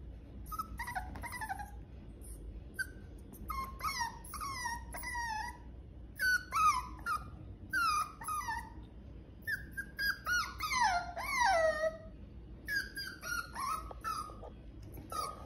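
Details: Albino poodle whining for attention: high, tonal whimpers that slide downward, in short bursts and longer drawn-out wails with gaps between, growing more insistent toward the middle, over a low steady background hum.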